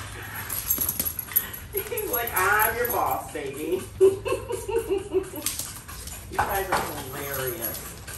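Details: Pet Alaskan Malamutes Tonka and Monroe wait impatiently indoors while their French toast waffles cook; wavering, whining woo-like vocal tones rise and fall over several seconds, overlapped by a woman talking to the dogs in a small room.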